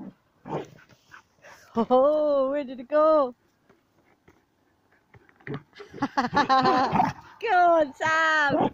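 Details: Sam, a Border Collie playing with a ball, gives long drawn-out whining cries with clear rising and falling tones in two bursts, separated by a quiet stretch with short soft noises; people talk and praise nearby.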